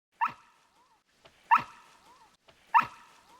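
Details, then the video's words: A coyote gives sharp, harsh, dog-like barks about once every 1.25 seconds; coyotes bark to alert their pack or warn off threats. "Do you hear that barking? That's not a dog. It's a coyote."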